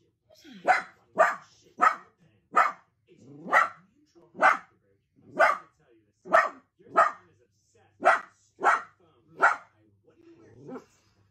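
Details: A playful Dachshund puppy barks steadily: about thirteen crisp, evenly spaced barks roughly every three quarters of a second, with a short low sound at the end.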